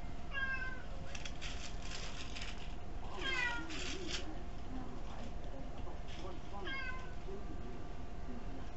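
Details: Pet cat named Kuri-tan sitting on a chair begging for something tasty, filmed indoors with a tiny mini camera; three harmonic meows rising then falling at about 0.4, 3.3 and 6.8 seconds over a steady background hum.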